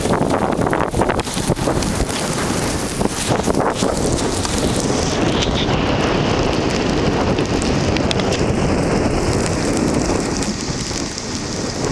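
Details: Loud, constant wind rushing over the microphone mixes with rumbling movement noise and scattered crackles, and no barking or other animal voice stands out.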